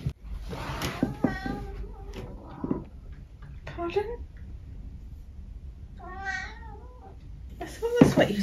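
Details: A senior tabby from England named Eric meows several times in a short indoor exchange, short chirpy mrrps and a longer meow mixed with a person's speech and brief background music.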